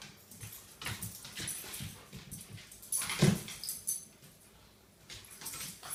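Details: Pet dogs at their morning wrestling match make short, low grunts and snorts among scuffles, with one sharper, louder burst near the middle of the few seconds.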